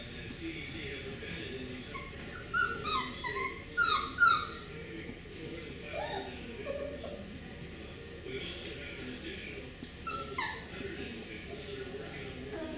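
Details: Beagle puppies from a litter, females among them, whimpering and yipping in short high bursts clustered around two to four seconds and again near ten seconds, with a person talking quietly throughout.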